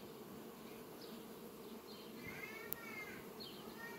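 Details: Honey bees flying among sunflowers on a farm on 18 July 2021; a low, steady droning hum runs throughout, with a few faint high chirps and a brief sharp click near the end.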